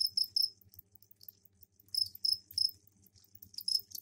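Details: Crickets kept in a container with soil set out for egg laying, singing mating calls; short, shrill, high-pitched chirps in clusters of two or three, separated by brief pauses, over a soft low background hum.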